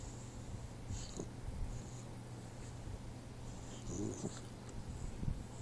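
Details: Troy, a 4-month-old Boxer puppy, sleeping indoors and snoring: low, rumbling breaths with soft snorts, over a steady low hum and faint higher rustles.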